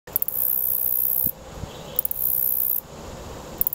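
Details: Male black-legged meadow katydid stridulating up close, rubbing body parts together: very high, hissing buzz in bursts of over a second, each ending in a few ticks, with short pauses between.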